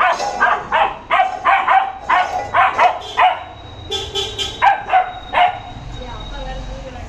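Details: Labrador Retriever in angry play, barking in a rapid run of sharp, ringing barks over the first three seconds, then sparser barks mixed with human voices and a steady high tone.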